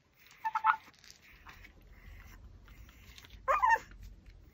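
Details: Pomeranian dog chewing a raw pork backbone; two short, whiny, tonal whimpers, one near the start and another near the end, with a quiet, low rumbling background between them.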